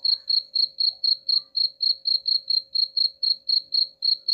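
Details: High, clear cricket chirping meant to repel rats, regular pulses repeated around four times a second against a quiet background.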